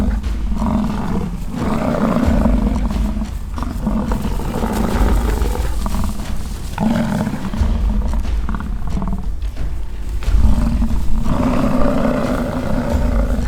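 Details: American bison bulls in rutting season, fighting at a ranch in British Columbia, Canada: low, throaty bellows rise and fall in long roaring bursts separated by short gaps, with a constant deep rumble and faint background music.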